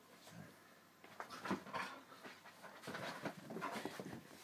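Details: Two Labrador Retrievers at play, a 9.5-week-old yellow puppy and an adult chocolate female aged 3 years 8 months; rapid huffing pants and breathy scuffles come in uneven bursts, with faint short whimpering tones mixed in.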